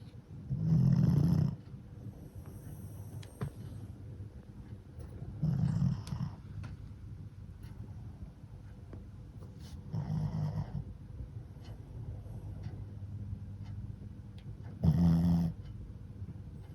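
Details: Worn out from playing, Fran the flat-nosed Shih Tzu × Pekingese dog snores in sleep indoors; four deep, rattling snores roughly every four to five seconds, each about a second long, with quiet breathing between.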